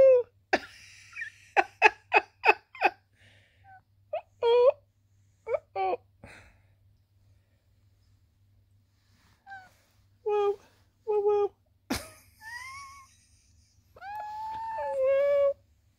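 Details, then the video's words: Sweet Pea, a chatty female tabby cat with a squeaky, bell-like voice, talking while posing and cleaning indoors: a quick run of sharp clicks, then short squeaky trilled meows and chirps, ending in a longer rising meow. "cute tabby cat posing cleaning talking chatty"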